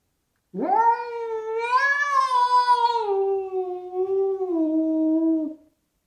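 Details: Indoor cat Spencer yowling at the neighbour cat sitting on the window ledge outside: a single drawn-out, wavering howl of about five seconds that rises, holds with a slight tremble, then slowly sags before stopping.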